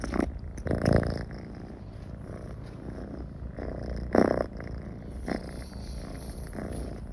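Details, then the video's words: Purring from the pet cat Michi, relaxed near people: a low continuous rumble punctuated by louder breathy pulses near the first and fourth seconds, then a softer even hum. "Michi Snoring (Kucing Mendengkur)"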